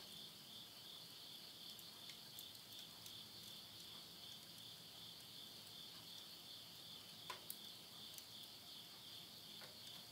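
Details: Countryside insects in Tottori, Japan, call at midnight in September 2020 as summer ends, their unbroken high-pitched trill steady for the whole stretch, overlaid by intermittent crackling and popping of firewood burning in a stove.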